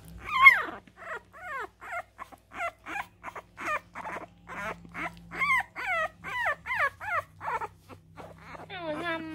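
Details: French Bulldog puppy indoors near its mother, whimpering in a steady run of about twenty short, high, downward-sliding whines packed into nine seconds, each thin and nasal, with a low steady hum underneath.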